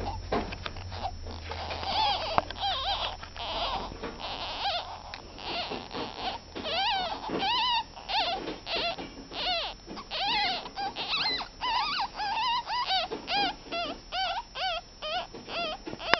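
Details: Ferret kits ten days old squeaking: a rough, noisy start with a low hum, then a steady run of rapid, high arched squeals repeated several times per second for the rest of the recording.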